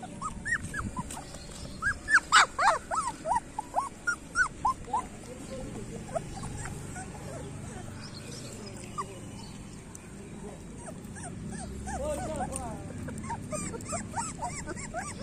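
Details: A litter of street puppies whimpers and yelps, with a loud burst of rapid cries early, a quieter middle, then another cluster of overlapping squeals.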